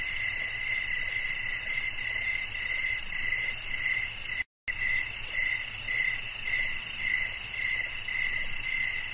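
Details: Night-time cricket chorus used as a soothing sleep soundscape; rhythmic high chirps pulse about twice a second over a continuous buzzing drone, interrupted by a brief silent gap midway.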